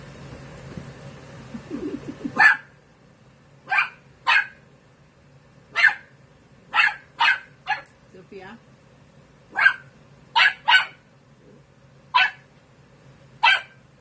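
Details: Sophia, a 13-week-old female Dachshund puppy, barking while playing with a kitten named Milo indoors; a dozen sharp, high puppy yaps spaced irregularly one to two seconds apart, with a brief whine and a low hum underneath.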